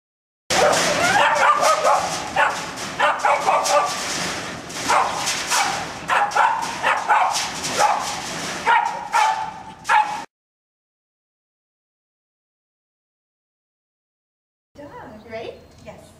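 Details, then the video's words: Tabby, a Lhasa Apso dog indoors, barks at the front door: a rapid run of sharp, loud barks for about ten seconds, then silence, with a few fainter sounds returning near the end. "Tabby the Lhasa Apso barking at the front door"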